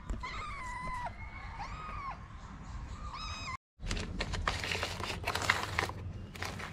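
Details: Homeless street kitten in Morocco, fed daily as a stray, that has started climbing onto its feeder's lap: several drawn-out tonal meows, some bending down at the end, over the first three and a half seconds, then a short silence and loud rustling handling noise.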